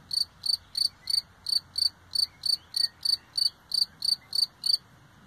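A single cricket chirps steadily, short high trills repeated about three times a second.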